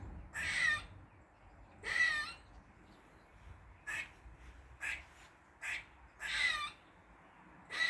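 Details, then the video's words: Squirrel in a Dublin garden, forenoon of 16 August 2023, calling weirdly: a series of hoarse, buzzy squeals and shorter chucks, roughly one every second, unevenly spaced, over a quiet background. "Squirrel makes weird noises"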